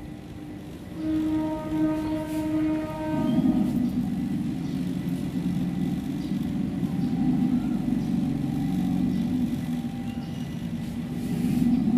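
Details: Steady musical tones ring out briefly, then a low rumbling engine or train-like noise fills the rest.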